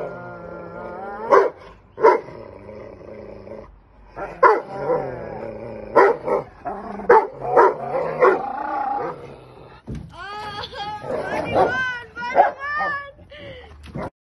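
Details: Buddy the English mastiff and Max the Belgian malinois, housemates that often wrestle and play tug of war. Loud spaced barks give way to a run of high, wavering yips and whines near the end, with music playing underneath.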